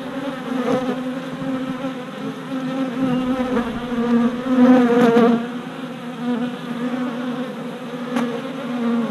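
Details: Mostly worker honey bees taking orientation flights around a new deep hive, 27 April 2017, four days after a bee package went in; thick humming buzz that grows louder mid-clip as bees fly close to the camera.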